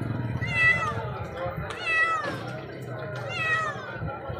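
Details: A cat wounded at the neck and being cared for, brought from a village: several drawn-out meows with rising then falling pitch, repeated about every one and a half seconds, over background music and low rumble.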